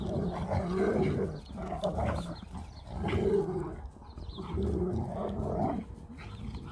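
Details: A Husky and a Malamute squaring off over a treat. Low, rough growling in pulsing bursts about every second and a half, with rumbling undertones and some scuffling noise.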